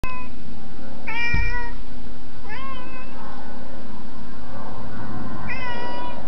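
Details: Domestic cat meowing because it wants to be let in; four short, bending harmonic meows, the first cut off at the start, then others near one, two and a half and five and a half seconds, over steady low background hum.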